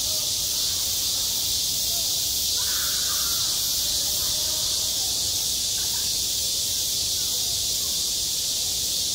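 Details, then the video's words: Cicadas calling in summer at a school playground: a dense, unbroken high-pitched buzzing drone that holds steady for the whole stretch, with a few faint, brief mid-pitched sounds near the third and sixth seconds. "한 여름 운동장에서 매미가 울고 있다"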